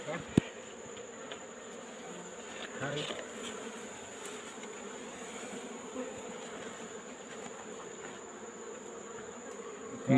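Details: Wild Asian honey bee (Apis cerana) colony being taken from a rock hole in the afternoon; a continuous droning swarm hum, with people talking and occasional knocks and handling sounds.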